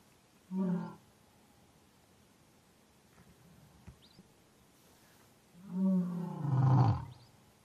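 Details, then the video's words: Deep roaring calls of an African lion: a brief harmonic grunt early, then after a quiet gap a drawn-out, louder roar that drops into a low rumble. "African Lion"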